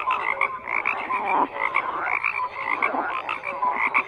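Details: Many frogs croak together in a thick, unbroken chorus of raspy pulsed calls, dotted with short bright chirp-like notes.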